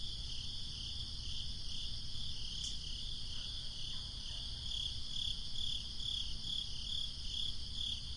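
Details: Crickets on a breezy summer night: a high chirping chorus, faint at first and clearer and more regular in the second half. A brief sharp click interrupts the steady low wind noise.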